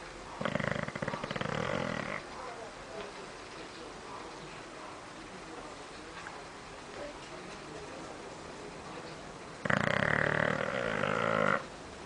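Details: Bulldog called Michu snoring in its sleep: two loud, harsh, rattling snores about two seconds long each, near the start and near the end, separated by quiet breathing and low room noise.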